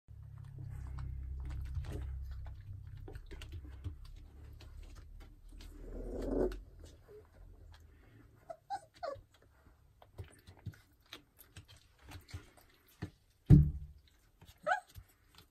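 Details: A purebred pit bull gives a low rumbling growl, then short, sharp barks spaced a second or two apart.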